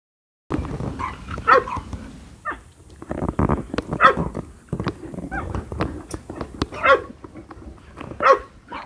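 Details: Golden Retriever puppies born 11 February, kept by a breeder in Hamamatsu, Shizuoka, Japan, being socialised outdoors; short high yappy barks and yips come in scattered bursts over clicks and handling noise.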